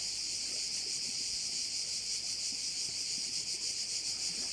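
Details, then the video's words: Korčula bay chorus of crickets: an even, piercing, high buzz that holds at one level for the whole stretch, gently pulsing. No other clear sounds are present. "Korčula - view of one of the bays in Korcula with sounds of crickets"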